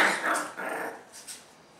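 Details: Dog from the canine family of Toddy, Bella and their puppies, indoors: a short, rough bark at the start, followed by a fading growly second sound and soft trailing noises.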